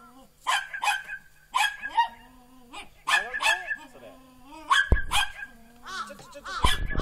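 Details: Border Collie pups about four and a half months old, black and white or tricolour, lively in falling snow in November 2013; repeated sharp yelping barks roughly every second, with bending whine-like tones between them and a few low thumps.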